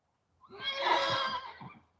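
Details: Horse whinnying in a stable during a livestreamed hoof-trimming session. One loud, bright, quavering neigh lasts over a second and ends in a few fading pulses.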